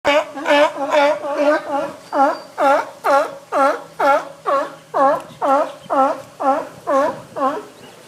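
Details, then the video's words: Captive sea lions at Sea Life Park in summer 2011 barking: a steady run of about fifteen loud, harmonic honking barks, roughly two per second, evenly spaced and strong throughout. "Sea Lions Barking and Kissing"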